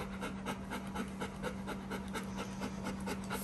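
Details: Bernese Mountain Dog Benny panting after a day out with both owners, following talk of a dog park; quick breathy rhythmic pants, roughly two per second, over a steady low hum.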